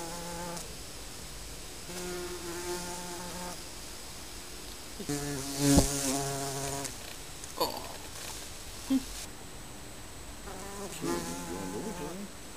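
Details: Honey bees at a colony under a garden shed buzzing in bursts of a few seconds each as individuals fly close by, the hum swelling and fading, with brief knocks and a quiet gap between passes.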